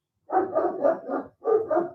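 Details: Neighbour's German Shepherd barking to protect his turf; he sounds fierce though he is a friendly dog. A quick run of four deep, rough barks, a short pause, then two more, with no other sounds.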